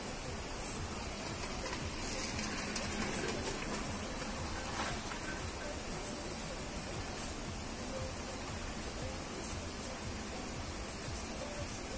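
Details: Steady broadband hiss and rumble, possibly with faint muffled music or voices, and no clear animal call.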